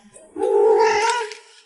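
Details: Domestic cat calling with a long, steady, even meow held for over a second, fairly level in pitch, with a soft trailing tail.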